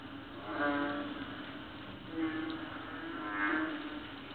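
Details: Small frogs croaking loudly at night in Palawan in late August, as loud as a cow and heard every night, with drawn-out, bleating notes that return every second or so.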